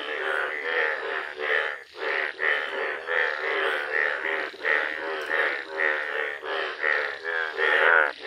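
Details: Yellow Indian bullfrogs in a village, giving a dense run of overlapping, nasal, harmonic-rich croaks with almost no gaps, each pulse swelling and fading in a steady throbbing chorus.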